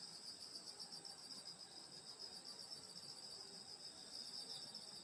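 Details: Countryside summer night, grandmother's house: many grass insects trilling together in an unbroken, even, high-pitched shimmering drone with rapid pulses and no other clear sounds.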